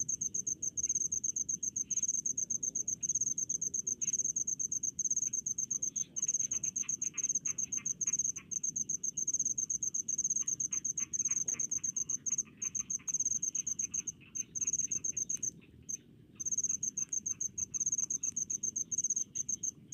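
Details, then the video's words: Cricket in rice fields giving a near-continuous train of fast, high-pitched chirps for the full stretch, with a few short gaps and faint softer insect ticks beneath, over a low background hum. "SUARA JANGKRIK DI PESAWAHAN"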